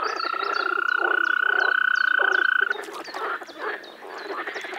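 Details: Frog calling in spring in the Czech Republic: a steady, pulsed, buzzy tone held for nearly three seconds, then stopping, with short descending chirps from birds above it and quieter background calls afterward.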